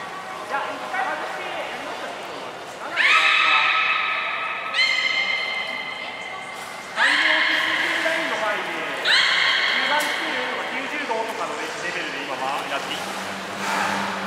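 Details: Beluga during a training session featuring Nana and Niko at Port of Nagoya Public Aquarium, 7 October 2018: four loud harmonic squealing calls, each held about two seconds, over a steady indoor murmur of background voices.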